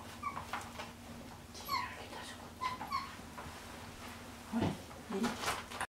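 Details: Male salt-and-pepper Miniature Schnauzer puppy, born 3 June 2018, filmed indoors on 10 July, giving brief high whimpers and squeaks scattered through the recording, some pairs close together, with a lower, louder yelp-like whine near the end and light handling noise.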